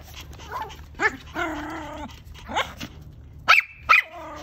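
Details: Playful Pomeranian dogs: a few drawn-out, high, harmonic whining yips, then two sharp, bright barks about half a second apart near the end, over faint low background hum.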